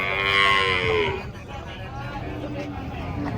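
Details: A bellowing moo from giant cattle being unloaded off a truck, loud and falling for about a second, then fading into low rumbling background.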